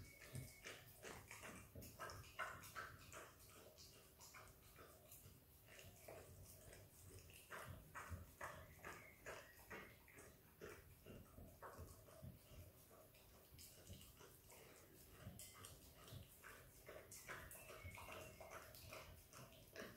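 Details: Australian Kelpie x Border Collie puppy, female, licking and eating peanut butter: continuous wet, smacking mouth noises and clicks at an irregular rapid pace, about two to three per second, close and quiet throughout.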